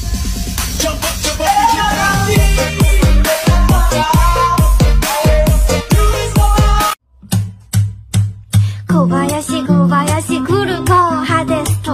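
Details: Electronic dance music with heavy beats and synth tones, pausing briefly near the middle before resuming; no animal sound is heard.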